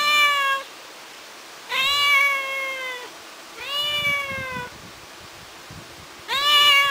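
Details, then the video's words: Crying for its mother while left alone indoors, the kitten Ginger utters four clear, loud meows, each rising then falling slightly, lasting about a second and separated by pauses of roughly one second. "The KITTEN is Crying and Calling for MOM / CAT MEOWS"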